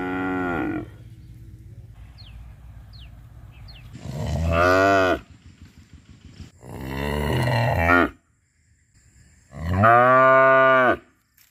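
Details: Cow recorded at Rosulpur giving repeated deep moos, locally called "amba amba": four drawn-out harmonic calls, roughly one every two to three seconds, with low rumbling noise and a few faint chirps in the gaps.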